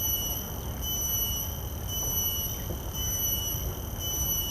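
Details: Shrill, even whine of a common cicada captured with shotgun microphones, its high ringing tone gently pulsing about once a second, with noticeable low rumbling background noise underneath.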